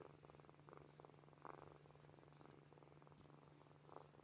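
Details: Sleeping kittens purring, a soft rhythmic rasping purr in pulsed bursts of about half a second, with a steady low hum in the background.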